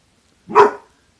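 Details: Six-month-old Doberman cross Collie puppy Mungle, holding a pork treat, lets out one short, sharp bark that rises quickly and fades within half a second against an otherwise silent background.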